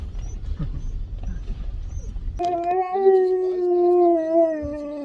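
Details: Siberian husky demanding a puppuccino from drive-thru staff. Rumbling background noise gives way to one sustained, even howl that holds its pitch for over two seconds, then dips slightly at the end.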